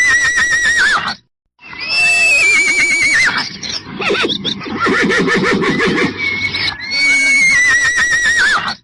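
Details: A horse gives several loud, shrill neighs that quaver and fall away, separated by brief pauses.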